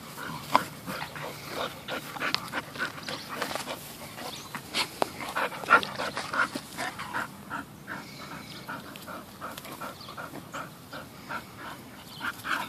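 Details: Two rescue Bull Terriers, nine-month-old puppy Peyton and eleven-year-old Quigley, roughhousing; a long run of irregular puffing pants and scuffling snorts, with thumps from movement throughout.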